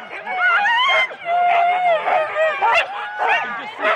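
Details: Huskies in four-dog sled teams at the start of a race at Rendlesham in January 2016, recorded on analogue cassette tape. Many dogs yelp and whine together in high, wavering, overlapping cries, with short barks mixed in.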